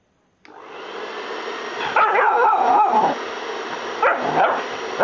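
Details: A five-month-old blue Staffordshire bull terrier named Gamico Gorman snapping at the air; after a loud hum starts, rough, wavering growl-barks fill the middle of the clip, followed by two shorter yaps near the end.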